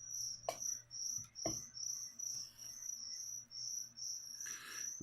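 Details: Crickets kept as live feeder insects for a pet leopard gecko, chirping steadily in a high, ringing tone with short pulses repeated about two or three times a second; a few soft knocks and a brief murmur of voices break in.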